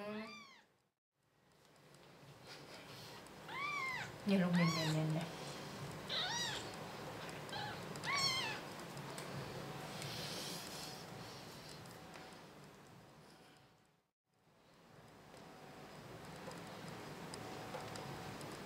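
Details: Six-day-old kitten named Mimmi, rejected by its mother and kicked away whenever it tried to nurse, mewing indoors: a run of high, thin, arching meows repeated every second or so, while a woman talks in Thai urging the mother cat to feed it.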